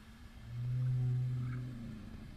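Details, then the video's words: A fin whale, recorded by whale-tagging researchers, gives a single low, steady moan lasting about a second, a call meant to attract other fin whales. "So this sound to a fin whale might not sound like much to you, but it's very sexy for fin whales."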